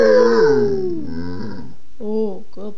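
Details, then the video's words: Basset Hound howling as if singing: a long, mournful howl that slides steadily downward and trails off, followed by two short, clipped, higher yelps. "Basset Howling"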